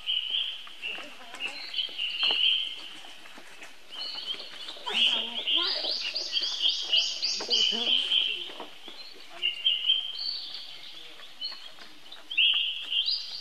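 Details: A young baby monkey calls for help to his older brother Rainbow: high, thin, drawn-out squealing cries, rising and wavering, in repeated bursts with short pauses, over clicking and rustling handling noises.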